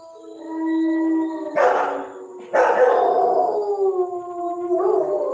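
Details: German Shepherd giving drawn-out howls, steady tonal notes that drift gradually lower, interrupted by two loud rough bursts before the howl resumes and fades.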